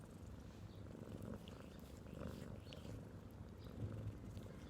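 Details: Domestic cat purring: a soft, continuous low rumble with a fine pulsing texture, held steadily throughout at close range with faint background noise.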